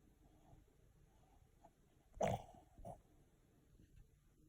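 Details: Sleeping pet dog sneezing indoors: one sharp, explosive burst of noise about two seconds in, followed by a softer short snort under a second later, in an otherwise quiet small room.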